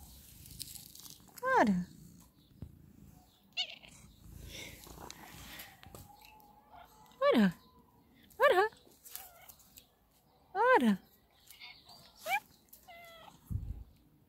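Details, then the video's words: Black female cat giving funny meows as she is petted: five loud, clear meows spread over about fourteen seconds, each starting high and sliding down. Soft human speech runs between them in a small indoor room. "Black cat makes a funny meow when I pet her"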